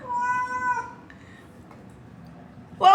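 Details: Native cat in Dubai giving one steady, harmonic meow lasting under a second, followed by near silence and a sudden loud burst at the very end.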